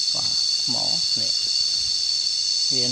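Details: Cicadas heard while lying and listening outdoors: a steady, high, shrill buzzing drone runs unbroken through the clip, with short bursts of human speech in the foreground.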